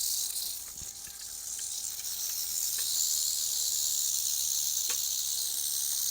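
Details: Eastern diamondback rattlesnake rattling while being handled; a continuous high hissing buzz, steady and dense, growing slightly louder after the first second and holding throughout, with a few faint clicks and handling noises.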